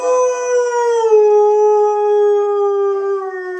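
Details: Hungry female pet dog's good morning howl for food: one sustained, clear tonal howl slowly sliding downward in pitch, rich in overtones, held for nearly four seconds without a break.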